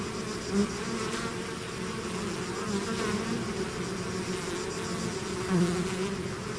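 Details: Honeybee swarm pouring out of its hive, a dense continuous buzz of many bees with steady low hum bands and brief louder passes of single bees near the start and end.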